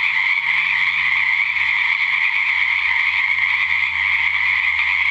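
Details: Frogs croaking loudly in the dark at a natural pond at 7:00pm after a couple of weeks of February rain in 2009; constant high trilling chorus without pauses, low droning hum beneath.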